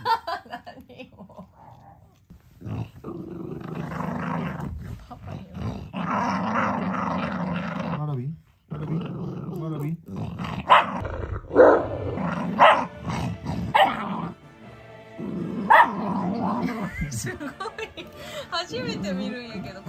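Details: Warabi, a pet Mameshiba, growls in her first threat display, guarding a pig snout treat with food aggression but without wrinkling her nose. Low rumbling growls come in long bursts, broken by short pauses, with people talking and background music.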